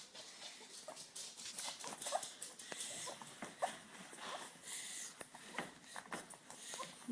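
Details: Labrador Retriever puppies born 18 February 2013, lying with their nursing mother indoors; faint, brief high squeaks and whimpers come scattered among steady rustling and soft clicking movement noises.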